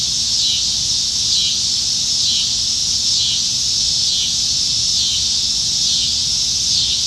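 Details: Many cicadas fill Nebraska trees with song on a July summer evening, a steady shrill buzz with gentle rhythmic pulsing roughly once a second, unbroken throughout.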